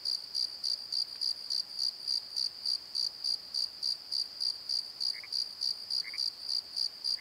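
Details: At night in a valley bottom at Pozo, crickets pulse in a high, shrill, metronome-like rhythm about three and a half beats per second, and two brief lower chirps appear near the end; Nikon D7100 recording.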